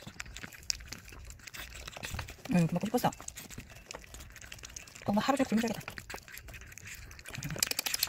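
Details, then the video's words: Kkami, a timid, gentle female Chihuahua weighing 1.7 kg and born in 2018, whines to ask for what she wants and protests against having her doll taken. Two short, wavering, nasal whines rise and fall, separated by crinkling rustles indoors. "귀여운 목소리로 대답해주는 치와와 강아지 앙탈 소리"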